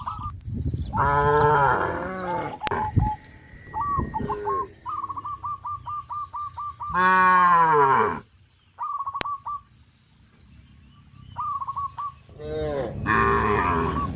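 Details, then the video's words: A herd of tame cows crowding the fields and leaping about lets out three loud, rich moos spaced several seconds apart, with bursts of quick repeated honking from fowl filling the gaps. "sound of cows"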